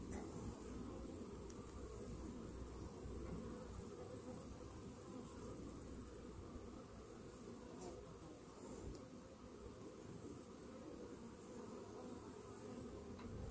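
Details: Steady, thick low drone from a honey bee colony whose hive carries Varroa mites, recorded after a morning treatment against the mites. The humming stays even throughout, with faint ticks above it.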